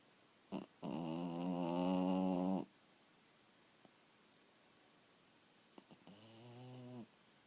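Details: Sleeping dog snoring indoors: a long buzzy, droning snore of nearly two seconds, a quiet pause with faint clicks, then a shorter, softer rasping snore of about one second.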